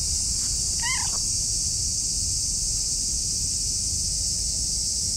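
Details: Affectionate orange tabby cat, a friendly stray, rubbing against a person's legs while giving one short harmonic meow with a slight downward bend, over a steady band of high insect-like hiss and low outdoor rumble.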